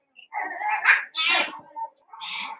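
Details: Seven-week-old Cavalier King Charles Spaniel puppies from Daisy's litter, in a puppy pen in the middle of a family home, give high, tonal whining cries, then a short harsh burst mid-clip, followed by another drawn-out whine.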